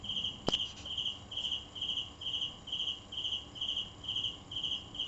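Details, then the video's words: Cricket chirping steadily, short pulsed chirps at a high, fixed pitch repeated about twice per second, with one sharp click early on. "Cricket Sound"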